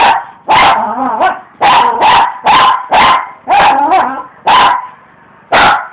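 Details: Dog in a yard barking at rocks it attacks while its owners work outside; loud, rough barks in quick pairs and runs, some with a growly edge, then a pause before a final bark.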